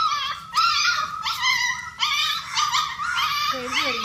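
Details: Puppies and their mother dog at a shared meal, heard as repeated high, rising-then-falling whining yelps in short bursts about every half second to second, with a lower descending whimper near the end, indoors.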